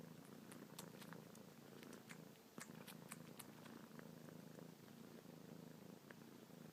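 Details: Pet kitten Luna suckling on fingertips, paws going crazy, purring without pause; a constant low rumble with bursts of quick smacking clicks, busier in the first half, quiet room.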